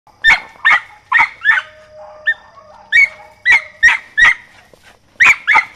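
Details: Rosie, a 4½-month-old mountain feist puppy training with a squirrel, gives short, sharp, high-pitched yapping barks in quick bursts of two or three, with a brief pause midway and faint steady tones behind.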